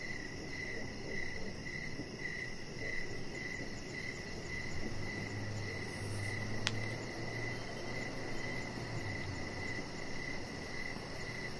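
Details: Steady evening cricket chirping recorded outdoors on a deck: high trilled pulses repeating about twice each second, with a low droning hum in the middle and a single sharp click partway through.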